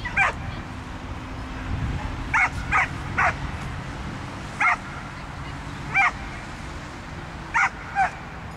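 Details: Brave Fighter's Odree, a pit bull competing in the "Осенний вальс" dog frisbee accuracy event, gives a run of nine clipped, high yipping barks at irregular intervals, some doubled, against a constant low background hum.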